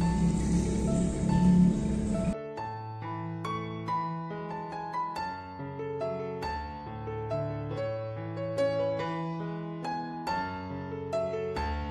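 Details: Gentle plucked harp and piano music follows a brief burst of broadband noise, with no animal voice.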